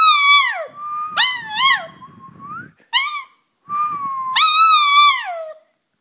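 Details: Daudau, a toy poodle, sings indoors in response to a whistle: drawn-out tonal howls with rich harmonics, sliding and wavering, in several bursts separated by short pauses, with a faint whistle at the start.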